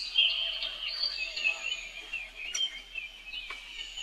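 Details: Baby monkey, the young brother of Rainbow, calling for help as she runs away fast; steady, thin, high-pitched wailing held almost without a break, with a few brief sharper squeaks.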